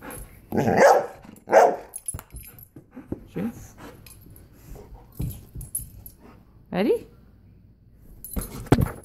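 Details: Golden retriever dog at play with a volleyball, giving two sharp barks in quick succession, then quieter grumbling yelps later, among ball thumps, footsteps and people talking in the background.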